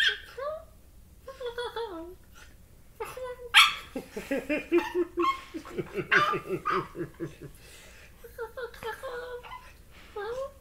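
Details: Corgi puppy making odd, non-dog-like noises while playing with a person, described as a cross between a turkey and a chimpanzee: curving, warbling whines and yelps at the start and end, with a run of rapid pulsed sounds in between, possibly laughter.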